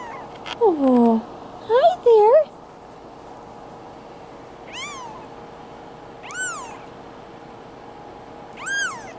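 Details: Male Bengal kitten, Boy2, two weeks old, from Madison, Wisconsin: a woman's soft cooing voice first, then three faint, high, arched mews spaced roughly one and a half to two seconds apart against a low room hum.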